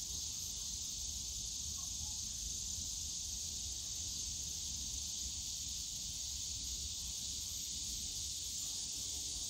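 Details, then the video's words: Cicadas buzzing in a bamboo forest at Yongsan Family Park in summer, a softer continuous high whine, steady throughout, with low park noise and a faint brief tone near the start. "용산가족공원 대나무숲 매미소리"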